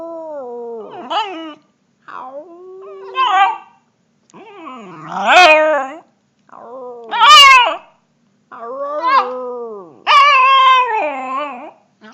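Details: Puppy howling, recorded on a phone: six wavering, harmonic howls about two seconds apart, each swelling and bending in pitch, some breaking into higher yelping notes, with silent pauses between.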